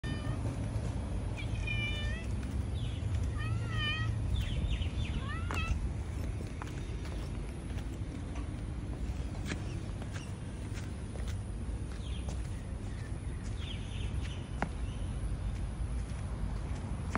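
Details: Tortoiseshell cat meowing non-stop to say she is hungry; a series of short harmonic meows, some upward-slurred, in the first six seconds, then fainter calls, all over a loud steady low hum.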